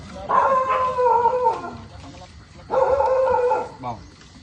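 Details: Pet dog playing in the garden behind a house in the early morning gives two drawn-out, steady whining howls, each lasting over a second with a short pause between, while a person talks nearby.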